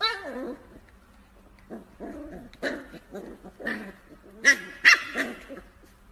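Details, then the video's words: Corgi giving a few short, sharp barks spaced about half a second apart, following quieter whining, broken sounds with soft background noise. "Funny and Cute Corgi Compilation | Best Funny Corgi Videos Part 2"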